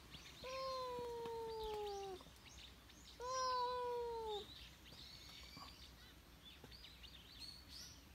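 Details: Stray cat, apparently appealing for something, gives two long, drawn-out meows, each about two seconds and sagging slightly in pitch, with a pause between; small birds chirp and tweet in the background.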